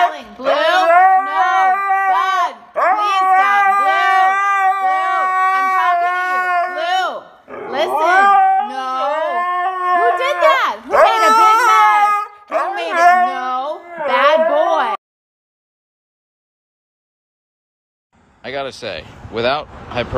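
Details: Siberian Husky in a dramatic mood, producing loud, sustained warbling howls with rapid wobbling pitch in long phrases of several seconds each, then a pause and a final short burst of yowling.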